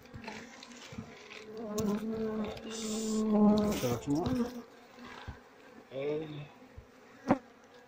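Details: Queenless colony of Asian honey bees, its comb full of honey, handled during harvesting as combs are scraped one by one; loud droning hum with layered tones that swell and waver mid-clip, then fade, a sharp click near the end.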